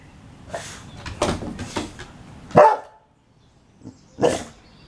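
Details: Pet Boxer Liberty in a tantrum over wanting dinner early: a run of several rough barks and huffs, then a louder bark, a pause and a final sharp bark, over low background noise.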